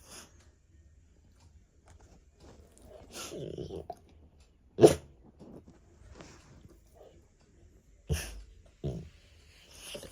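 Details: American Bully dog making odd barking sounds indoors, short sharp bursts a few seconds apart, some huffing and sneeze-like, with quiet gaps between.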